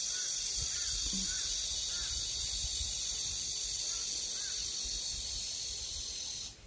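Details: Evening cicada heard early in summer at a country house in Geumnam-ri, Bukhangang-ro, ahead of other cicadas: a constant shrill hissing drone fills the clip while a fainter bird repeats short arched notes about every half second behind it.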